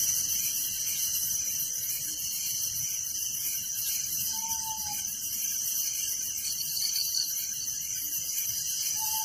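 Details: Crickets calling at night in a village form a constant high, buzzy, pulsed chorus, while two brief clear whistles from another creature sound about halfway through and at the very end.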